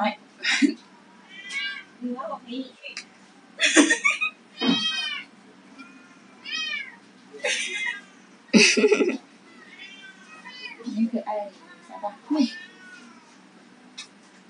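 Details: Abandoned Persian and domestic medium hair kittens awaiting adoption mew repeatedly, high thin calls every second or two, some rising and falling, mixed with people talking in Chinese and handling noises indoors.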